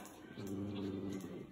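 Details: Indoors, a miniature schnauzer answers "What is that?" with a low, wavering, speech-like moan, as if saying "I don't know", swelling and fading over about a second.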